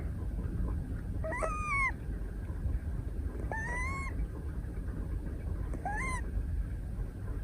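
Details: Sleeping Scottish Fold kitten Moka, a female brown tabby aged 173 days, held during an afternoon nap: three slightly rising whistled snore tones about two seconds apart against a low background rumble.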